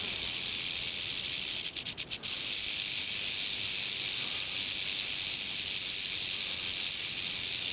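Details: Rattling of a western rattlesnake, Crotalus oreganus, on the East Molera trail near Big Sur, California, 15 August 2010: a continuous high dry buzz, briefly broken by a few quick flutters around the two-second mark, then steady again.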